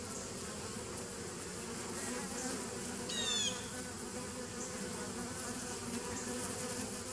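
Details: Bees humming steadily on 27 September 2018, a dense low drone throughout, with a quick high-pitched chirp rising over it about halfway through.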